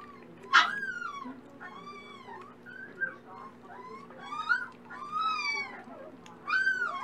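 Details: Red brindle Dachshund puppies having breakfast in the morning, producing clear, arching high-pitched whines with bright overtones, each lasting about half a second and repeated irregularly, indoors.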